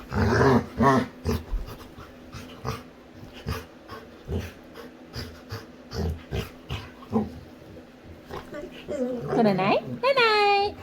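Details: Female Labrador retriever playing with her owner, making a rapid run of short, low grunting growls, roughly three per second, with a human voice talking at the start and a higher whining tone near the end.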